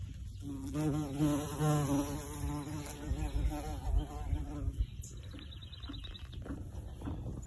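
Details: In spring, in a cottage garden in Ontario, Canada, one of the season's first bumblebees makes a low, droning buzz that swells and wavers for several seconds, then fades.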